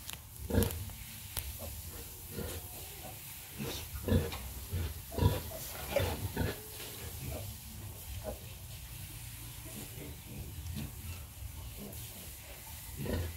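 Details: Domestic sow nursing her piglets, giving low, short grunts repeated in irregular bursts, roughly one a second, with soft rustling and occasional higher squeaks from the litter.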